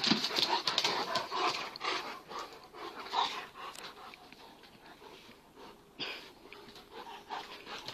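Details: Playful Kangals Venus and Tyson, an 8-month-old full Kangal puppy and a cross Kangal half his size, pant rapidly and unevenly. Breathy noisy huffs run throughout, fading slightly toward the end.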